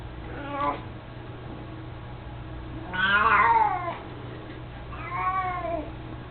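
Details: An 18-year-old mostly blind male house cat that loves carrying his toy mouse lets out a short meow, then two longer rising-and-falling meows, with a low background hum.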